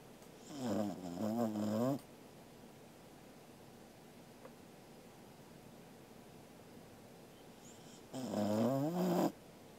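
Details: A sleeping Welsh Corgi, a dog, snores indoors on 13 August 2021. Two long snores, each about one and a half seconds, carry a low, harmonic, wavering drone with a buzzy edge. About six seconds of quiet room noise separate them.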